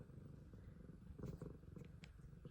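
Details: Pet F2 Savannah cat with an extremely loud purr, a continuous low buzzing rumble of fast even pulses, slightly swelling midway, with faint higher clicks.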